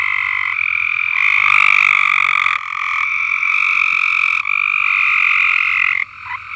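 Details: Frogs singing loudly from an uncleaned above-ground swimming pool on a farm: a dense, continuous trilling chorus with bright pulsed notes overlapping, surging and dropping in waves, briefly easing near the end.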